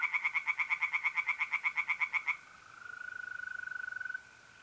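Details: At night in mid-April, North-East Italy, pond tree frogs give a loud run of quick rasping pulses, about fifteen in two seconds. The chorus stops, and a steady, even mole cricket trill carries on alone.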